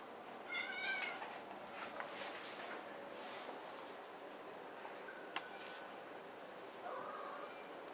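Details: Maine Coon cat in a box meowing briefly near the start, then a thin tonal call midway and a soft short mew toward the end, with a sharp click between; quiet indoor setting.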